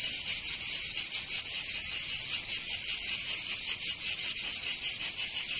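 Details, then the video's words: Summer chorus of cicadas in Provence, in the south of France, with an intense shrill buzz that swells and dips in quick regular pulses, roughly three each second, filling the air without pause. "Canto Cigarra 🦗 [ Escuchar les cigarras en verano"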